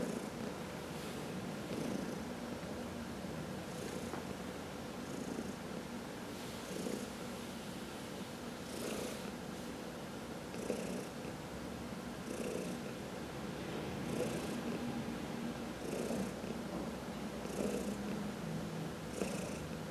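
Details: House cat purring during a massage, one of four pet cats indoors; continuous low rumbling purr with a slightly irregular rhythm, breathy bursts recurring about every two seconds and faint higher rustling noises.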